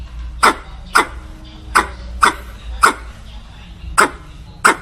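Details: Squirrel; bark call; calling a mate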